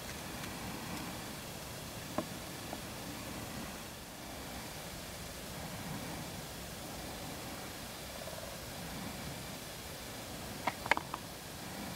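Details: Steady low rustling noise, like wind or distant traffic, broken by a few faint clicks and taps, with no animal calls.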